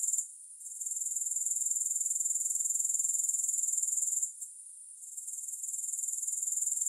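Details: High, rapid grasshopper buzzing for sleep and relaxation, no music, pulsing regularly but interrupted twice by short quiet gaps where the trill drops out before resuming.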